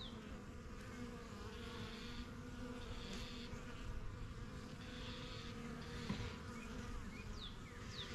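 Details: Honey bees flying in and out of a strong new yellow hive in a backyard, first hives started spring 2023; steady low droning hum of many wings with passing higher whines as single bees fly close, faint birdsong above.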